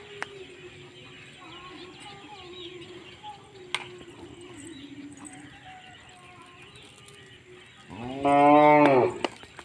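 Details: Punganur dwarf cattle, one short, loud, harmonic moo lasting about a second near the end, after a long stretch of low steady hum and faint background sounds.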